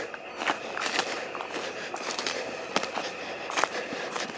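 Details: Footsteps and crackling, clicking noises over a constant hiss, with no animal voice present.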